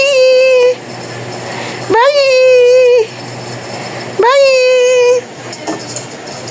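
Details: Domestic cat giving three drawn-out, flat, steady meows of about a second each, spaced roughly two seconds apart, each starting with a quick upward slide, over soft background noise.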